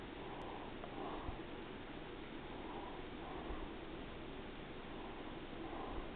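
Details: Daisy, a pet cat, resting after a day of eating and sleeping, purring softly: a low steady rumble swelling in cycles about every two seconds, with faint snuffles in a quiet room.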